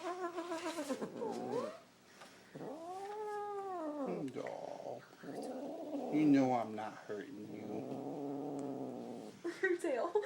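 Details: Star, a pet cat, growls while being picked up and held by her owner's dad; long drawn-out moaning growls rise and fall in arcs, broken by short pauses, with a man talking to her throughout.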